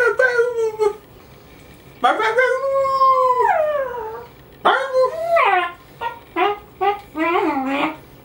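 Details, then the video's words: Pet dog howling along after its owner howls, a habit it has always had; long harmonic howls that rise and fall, some sliding downward, in bursts of one to two seconds with short gaps, indoors. "odie sing"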